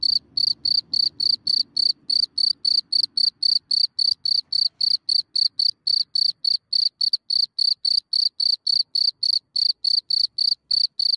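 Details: Cricket at night in Germany, emerging from its hole and recorded close up from a few centimetres away: steady, high, shrill chirps repeated about three to four times a second throughout, with a faint low rumble early on.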